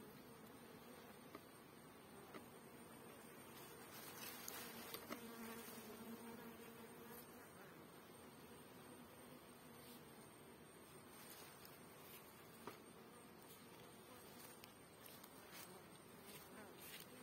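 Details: Many honey bee drones at a hive make a steady, low, droning buzz that swells and fades slightly.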